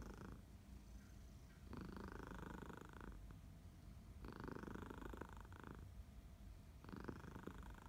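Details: Domestic cat Minnie purring indoors on a sleepy August morning in Barcelona, Elsa nearby; steady deep vibrating rumble, rising into louder buzzy stretches roughly every two to three seconds as breathing cycles.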